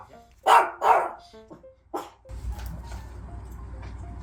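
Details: A Maltese dog, 1 year 6 months old, barks indoors at home at a stranger visiting and at the doorbell, giving a few sharp, high yaps as if guarding the house.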